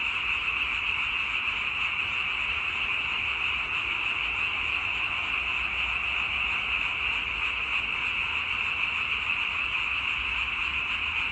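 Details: Frogs calling in a dense, unbroken chorus, a steady high-pitched trilling drone that holds at an even level throughout, with no other clear sounds.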